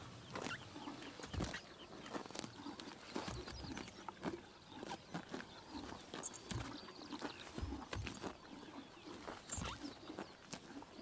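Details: Summer morning in Mongolia, horses grazing in the sun: a steady run of sharp ripping and crunching bites, closely spaced, over soft chirping birds.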